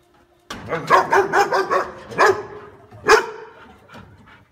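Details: Dog barking in a rapid, dense string of short yaps, followed by two stronger single barks and fading softer sounds.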